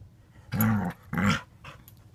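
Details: Two dogs, a white French bulldog puppy of five months and a five-year-old blue nose pitbull, in a small room; two loud, low, rumbling growls in quick succession, each about half a second, followed by a fainter huff.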